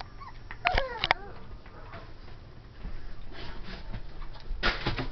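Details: Ivory, a 12-week-old cream and white female Pomeranian puppy, playing indoors and reacting to a Dora the Explorer doll; two sharp high yips near the start, then rustling and shuffling noises.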